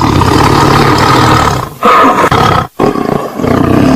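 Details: Short burst of tiger roaring: a gritty, rumbling snarl, then a sharper, louder roar near the middle, a sudden break, and the growl resumes.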